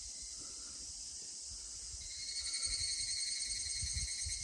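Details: Evening cicada song at a shrine in Yasugi, Shimane, Japan, near an ancient cedar over 1000 years old; after two seconds a fast pulsing, ringing series begins and continues, layered on a constant shrill insect chorus.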